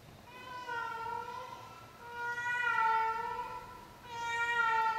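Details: A 16-year-old pet cat in her nightly performance gives long, drawn-out harmonic meows, three wavering calls of about a second or more each, the last rising in loudness; quiet indoor background.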